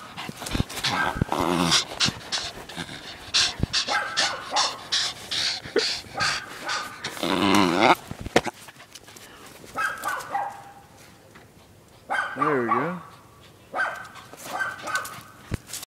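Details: Welsh Terrier bitch at frisbee play, excited yips and whiny whimpers in dense clusters early on, then sparser calls with panting and a wavering voiced whine near the end.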